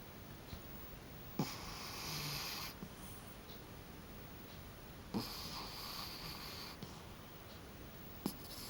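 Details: Pet cat snoring as he sleeps on his back in a small room: two long, hissing, airy breaths a few seconds apart, each opening with a soft click, then quiet.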